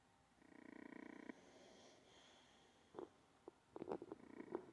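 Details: Olde English Bulldogge snoring while asleep: one buzzy, rasping breath of about a second, then quieter breathing with several short clicks and snuffles.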